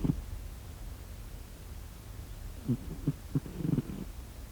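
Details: Domestic cat snoring while asleep: soft low rumbling breaths, one at the start, then a run of short low pulses after a quiet pause, the last ones blending into a brief purr-like rattle.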